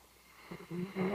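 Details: Sleeping Labrador Retriever service dog resting after a day's work, giving a loud snore that builds in short rasping pulses into a sustained low, buzzing drone.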